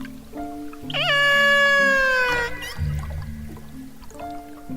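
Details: A killer whale from one of the Gulf of Alaska pods, recorded by underwater hydrophone off Seward, Alaska, gives a long, bright, squealing call that wavers, then slowly slides downward; researchers say it is trying to contact the rest of its pod.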